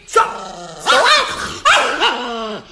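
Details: Chihuahua giving three drawn-out, yowling bark-like vocalizations, each rising then falling in pitch, about 0.7 seconds apart, indoors near its owner.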